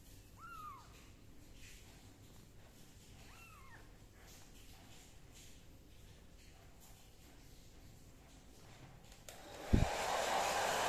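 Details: A kitten's two bent, high-pitched meows sound early on during drying with a towel, then a thump and the loud steady whoosh of the gentle hair dryer switching on near the end.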